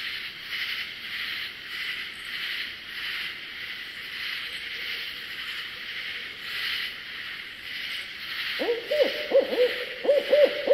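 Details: A loud, raspy katydid chorus calls in unison at night in a southern swamp in summer or autumn, pulsing steadily several times a second; near the end a barred owl breaks in with hoots and wild cackling calls.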